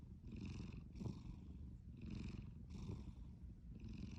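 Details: Cat asleep and snoring, low purring rumble with hissy breath bursts returning about every second, five pulses in all, quiet room.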